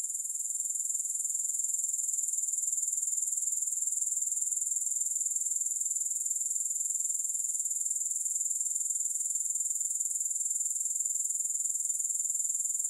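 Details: Grasshoppers keep up a constant high-pitched, finely pulsed shrilling without any pause or background music, steady and even in volume from start to finish.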